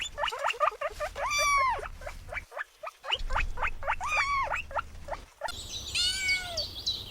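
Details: Kittens chasing butterflies on grass; a rapid run of short clicking chirps fills the background while three arched, wavering meows rise above it.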